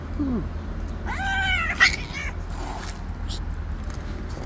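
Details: Street cats clashing over a white cat's territory; a brief soft cry opens, then one strained, harmonic-rich meow around one second, followed by quiet rustling and background hum.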